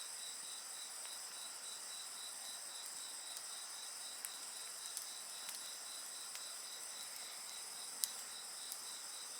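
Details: Chorus of insect song with a campfire: a bright, rapidly pulsing high trill runs without pause above a constant thin hiss of other callers, while scattered wood crackles snap through the background.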